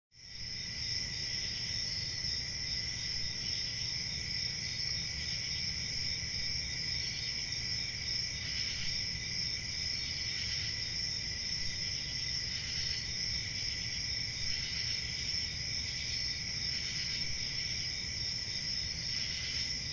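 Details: Crickets in a continuous, steady chorus of high, shrill trilling that holds at several stacked pitches throughout, with no pauses, over a soft low rumble.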